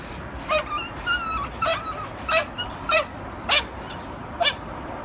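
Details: Six-month-old Belgian Malinois during attack training: a series of high, squeaky whining yips with falling tails, about seven over five seconds at uneven spacing.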